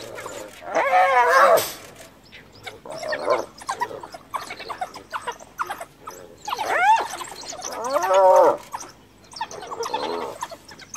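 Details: Female hyena, guarding her recently dead cub, cornered by wild dogs and calling for help from her clan; loud wavering harmonic squeals with rising-falling inflections in three bursts, around one, seven and eight seconds, between quieter calls and outdoor rustle.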